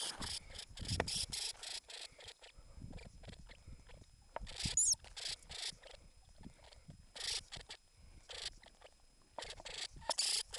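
A Norway lemming gives harsh, hissing squeaks in quick irregular bursts.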